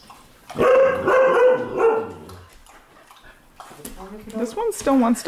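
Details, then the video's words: Household dogs at indoor night-time play, 15 May 2014; one dog gives a loud, drawn-out, tonal growl-howl lasting over a second, followed by quieter wavering whines mixed with a woman's voice. "Dogs Playing Inside"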